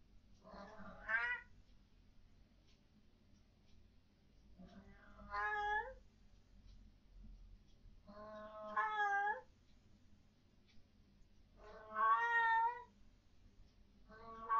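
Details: Pet cat named Fluff at night, indoors, loudly objecting to what its owners call ghosts or orbs; drawn-out wavering meows, each about a second long, repeated every three to four seconds in a quiet room with low hum.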